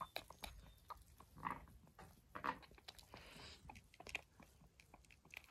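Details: Ewe on a regenerative farm in County Kilkenny, Ireland, grinding her teeth while her premature lamb is helped to suckle and her head is held in position; soft irregular scraping clicks with a few sharper rasping bursts, quiet indoor setting.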